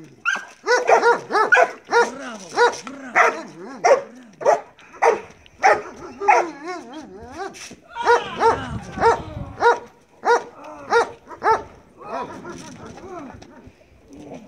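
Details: Bite work session with Marley, a Belgian Malinois: a long stretch of insistent, raspy barks about twice a second, briefly blurred by scuffling noise midway, then continuing more sparsely toward the close.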